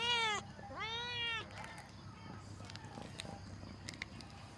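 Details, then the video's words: Female cat giving two clear, drawn-out meows in the first second and a half, the second longer and bending down at the end, followed by quiet room noise with faint ticks. "The sound of a cat female sweet and beautiful"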